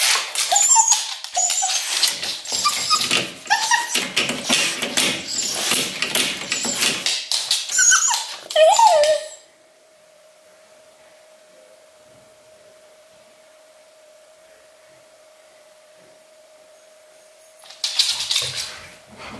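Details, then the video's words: Luna, an English Cocker Spaniel in Berlin, left alone at home and anxious after a month of lockdown togetherness: nine seconds of frantic scratching with short whines, then near silence over a constant household hum, and a final flurry of scratching. "바이러스로 다시 찾아온 강아지 코카스파니엘 분리불안"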